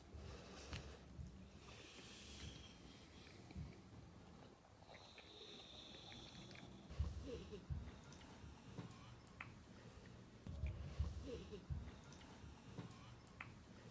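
A French Bulldog snorts and wheezes in short, low, breathy bursts.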